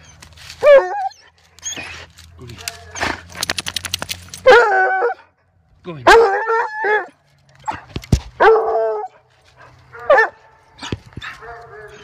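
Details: A Redbone Coonhound on a hike, excited by a chipmunk hiding in a nest, gives loud bawling barks and whines with rising, wavering tones, separated by pauses.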